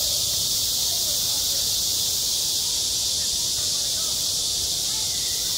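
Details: Midsummer cicada chorus over a school playground, a steady shimmering high-pitched drone that never breaks, with only the faintest trace of distant voices below.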